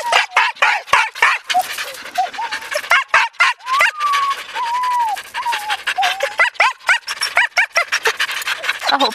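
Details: Siberian Husky yearlings Haidi, Znoke and Myrull with Ravn, spring run 2011. Choppy yips and sliding whines run throughout, with a few longer tonal whines in the middle, alongside Norwegian speech.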